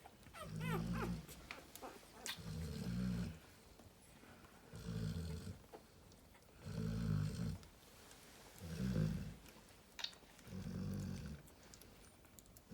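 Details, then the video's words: Heavy, drawn-out snores from Narla, a Cane Corso mother relaxing with her babies: six long, low rasping breaths roughly every two seconds, with brief high squeaks at the very beginning. "Narla the Snoring cane corso"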